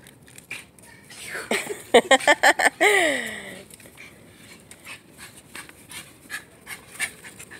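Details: Excited Shiba Inu dog letting out a rapid burst of about six high, harmonic yelps, then a drawn-out whine sliding downward; a person talks softly around it.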